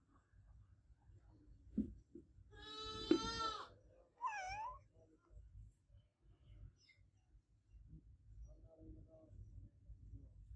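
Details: Adopted cat meowing loudly indoors: a long, strained, drawn-out meow followed by a shorter wavering one, with thumps and soft low background noise before and after.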